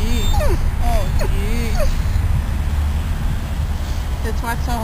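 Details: The dog Riddick, uncomfortable on the grass outside Bryanston Veterinary Hospital after leaving ICU, lets out a quick burst of bending, wavering whines, then falls quiet under loud low rumble before two brief squeaks at the end.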